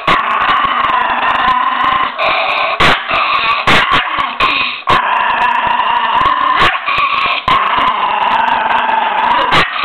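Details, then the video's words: Continuous harsh growling from a ferocious miniature pinscher, a rough droning snarl held for long stretches and interrupted by frequent sharp snapping or clattering noises. "pinscher nain féroce"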